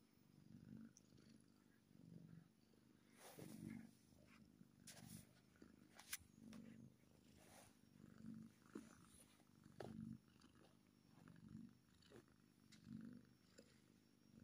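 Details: Contented kitten purring steadily, a deep rumbling drone that swells and fades in regular breath cycles about every one and a half seconds, with occasional brief clicks and rustling nearby.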